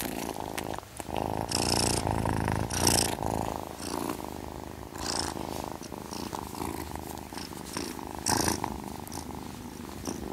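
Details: Cats purring: a steady low rumbling purr, pulsing about four times a second, with soft rustles and brief brighter bursts of handling noise breaking in.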